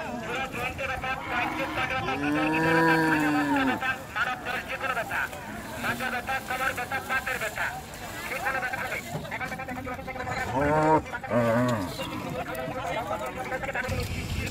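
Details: Cattle unloaded from the river side at a popular village cattle market in Bangladesh moo several times, one long falling moo early and shorter ones later, under steady crowd voices and engine noise.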